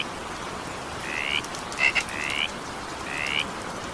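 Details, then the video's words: Frog calls in evening rain, four brief rising notes over four seconds, one led by a quick clicky double pulse, all set against steady rainfall noise. "evening rain sound effect with frog sound"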